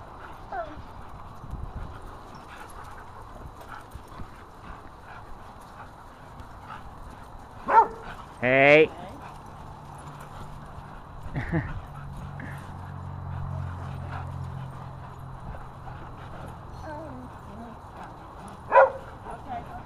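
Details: Dogs at Happy Puppy Park playing with a new tetherball; sharp, loud harmonic barks burst out near eight seconds and again near nineteen, over steady people's chatter and a low background hum.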